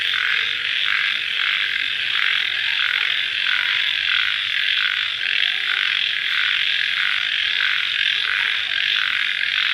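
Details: Night chorus of crickets right after rain, a continuous shrill droning band with rhythmic pulsing roughly twice per second, unbroken throughout.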